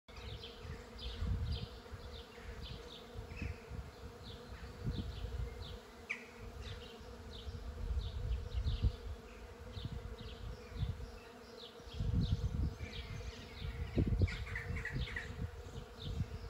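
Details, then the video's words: Many bees and other insects buzzing around a flowering tree, a dense, continuous low drone swelling and fading as individuals pass close, with faint chirping birds higher up. "Buzzing tree"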